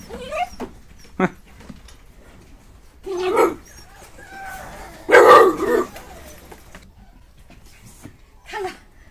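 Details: Village dogs in rural China after snowfall, kept in kennels and waiting for minced chicken; several loud barks and yips come in scattered bursts, the strongest a drawn-out volley in the middle, with a man talking between them.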